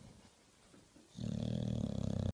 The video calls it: English bulldog snoring